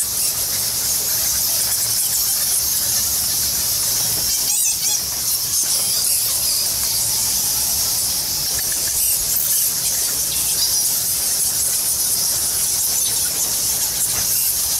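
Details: Thousands of bats roosting in the Goa Lawah cave temple on Bali fill the air with a dense, continuous chorus of high, shrill squeaks.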